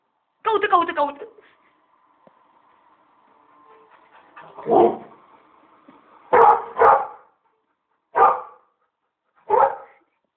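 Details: Labrador Retriever barking in frustration because it cannot reach its favourite toy, a frisbee: a whiny, stacked yelp at the start, then five short, sharp barks spaced unevenly over several seconds, some in quick pairs.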